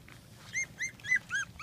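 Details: Female miniature dachshund puppy aged eight weeks, January 2015: four short, high, squeaky whines about a third of a second apart, each arching up then down, over a quiet background.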